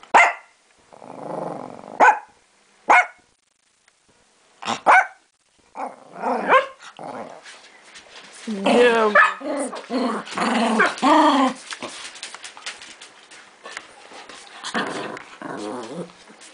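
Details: Miniature Pinscher dog giving a series of sharp barks, first spaced about a second apart, then denser bursts of barking and growly yaps in the middle, tapering to quieter yips.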